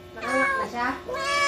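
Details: Domestic cat in labour for the first time, helped by its owners: two drawn-out, harmonic meows, the first falling and the second rising, with people talking in Filipino at the same time.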